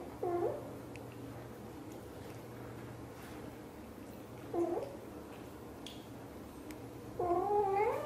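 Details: British Shorthair mother cat Xaxa, blue golden, talking to her tiny kitten Piano indoors; three short wavering meows spaced several seconds apart, the last longer and rising, over a steady low hum.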